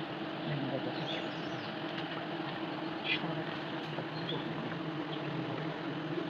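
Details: A dense, continuous drone of many honey bees as their hive is harvested the traditional way in Nagaland. The buzzing hum stays even and unbroken from start to finish, with only faint background voices.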